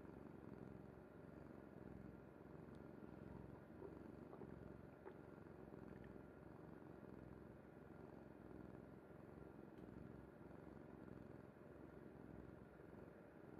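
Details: Low, continuous purring from Kuri the cat, asleep on her mother's bed. The rhythmic rumble holds steady throughout, broken only by a few faint ticks and small rustles.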